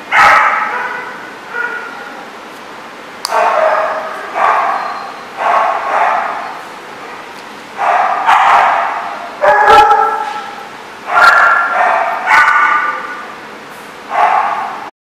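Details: Repeated barking from a dog at The Barking Lot on 10/10/14, about a dozen rough, mid-pitched barks at uneven intervals, some in quick pairs, each trailing into a reverberant fade.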